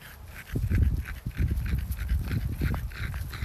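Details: French Bulldog named Oleg tasting strawberries on a garden plot, giving low, rumbling snorts and wet chewing grunts in quick irregular bursts over about three seconds, with faint outdoor background.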